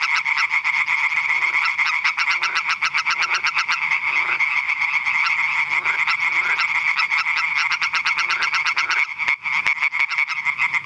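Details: Dense chorus of European tree frogs (Hyla arborea) at Eichkopf, Hesse, Germany, giving rapid, rasping, high-pitched pulsed calls.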